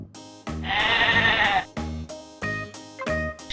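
A sheep gives a long, wavering bleat of about a second, heard over steady background music with sustained notes.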